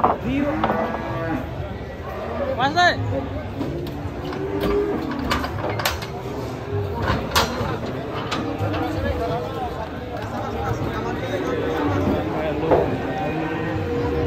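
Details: Angry cattle lowing in drawn-out, low harmonic moos, with a sharp higher cry near the third second; people talk in the background and several knocks or bangs sound.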